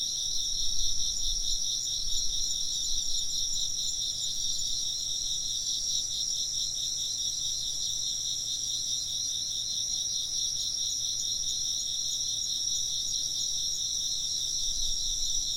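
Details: Constant insect chirping, dense high trills layered in several bands, with occasional soft low thumps near the beginning and end.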